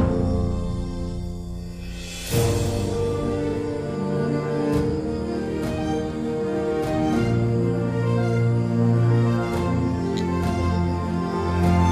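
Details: Sustained instrumental background music with soft low chords and occasional chime-like accents, and no animal calls heard.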